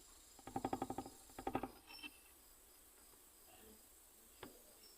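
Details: Nesonotus reticulatus katydid from Guadeloupe, tapping and chirping: a burst of about nine rapid evenly spaced pulses, a short pause, then a second group of four or five pulses and a lone click, against quiet background.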